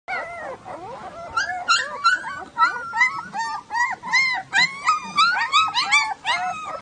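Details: Puppies whimpering and yelping: a busy overlapping stream of high, wavering whines that bend up and down, several per second, with no other sounds.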